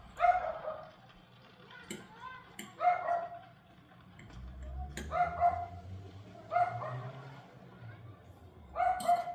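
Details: A dog barks at 6:44 pm on May 18, giving five hoarse, resonant barks roughly every two seconds, with a low rumbling noise in the background between them.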